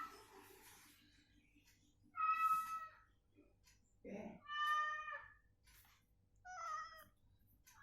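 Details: Cat recovering indoors, provoked into answering a cat sound. Three separate meows come a couple of seconds apart, each steady-pitched and nasal with rich overtones. A brief low, voice-like sound falls between them.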